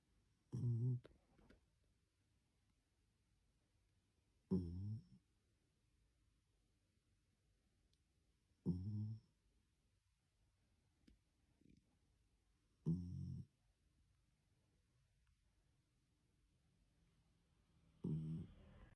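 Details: Sleeping puppies snoring in a quiet room: five short, low rumbling snore bursts arriving about every four seconds, each with a brief raspy edge, separated by near silence and soft breathing.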